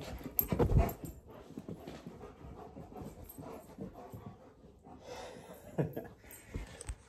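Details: Midnight, a former stray German Shepherd now adopted, panting during indoor play: soft, rapid breathy huffs run throughout, with a loud scuffling thump early on and brief rustling bursts later.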